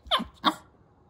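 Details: Chihuahua named Myu, angry and frustrated at not getting treats or food while those words are said to her over and over: two sharp, high, yappy barks about a third of a second apart, then quiet.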